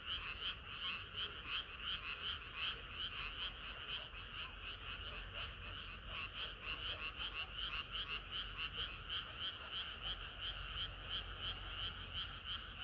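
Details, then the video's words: Frogs singing through a hot summer night, a continuous chorus of rapid, pulsing croaks near three per second, overlapping voices swelling and easing slightly, low background rumble. "개구리들의 합창은 끝이 없어라"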